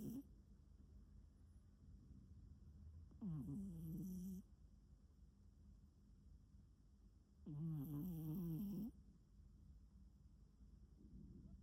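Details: Cat snoring: two drawn-out, rough, low snores about four seconds apart, each just over a second long with a wavering pitch, and a quiet steady hum in between.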